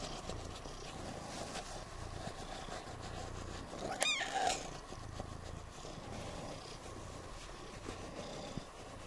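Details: Siamese cats Otani and Yozora purring at home on New Year's Eve while being dried off after a rainy off-leash forest walk; a low, steady pulsing rumble, with one brief sharp higher sound near the middle.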